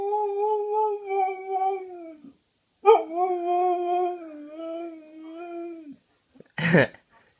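A Siberian Husky holds a long, steady howl, pauses, then rises into a second sustained, gently wavering howl that sags at the end. A short, rough burst of sound follows after a brief silence.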